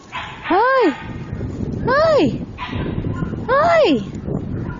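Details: Puppy sending out three long, arching yelping whines, each rising then sliding down, spaced about a second and a half apart, with soft background noise in between.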